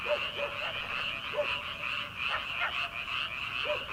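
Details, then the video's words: Night frog chorus from rice paddies in early summer before transplanting, continuous buzzy trilling from many callers with a few separate arching croaks every second or so. "초 여름 개구리 울음소리/ 논에서 들리는 개구리 소리"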